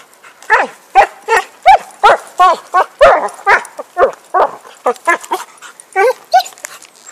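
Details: Happy, a dog playing with a stick in 2012, barks loudly and without pause, roughly twenty excited, slightly harsh barks in seven seconds at an uneven quick rhythm.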